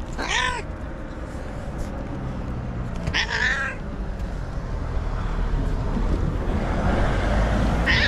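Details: White domestic cat in an angry mood, screaming: two strained harmonic yowls in the first three seconds, a third starting at the very end, with rumbling low noise filling the gaps.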